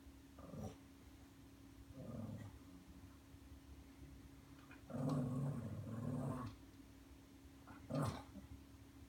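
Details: Pet Lhasa Apso named Ollie grumbling indoors, frustrated because an RF-tag automatic feeder stays shut for him; low throaty growls come in separate bouts, one long rumble midway, over a constant hum.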